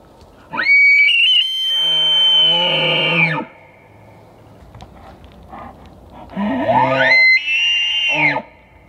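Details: An elk, recorded at very close range, bugles twice: a high, whistling scream that rises, holds, then drops into grunting chuckles.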